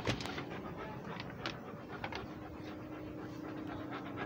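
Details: Rhodesian Ridgeback walking and breathing: steady, rapid, breathy panting with soft rhythmic huffs, along with light rustling and a faint low hum in the background.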